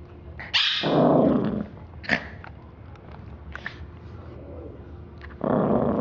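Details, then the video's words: Little dog named Roses attacking a teddy bear indoors, letting out a rough, throaty growl for about a second, a brief snarl near the middle, then another loud growl starting at the end. "little dog eats teddybear!"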